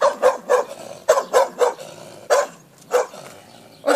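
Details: Aggressive village dog barking at a passer-by, held back so it cannot break free. It gives about ten loud, gruff barks in quick irregular bursts, some doubled, with short pauses between.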